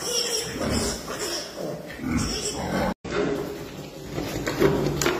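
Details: Pietrain pigs giving rough, repeated grunts and snorts in short bursts, with human voices talking nearby and a brief dropout near the middle.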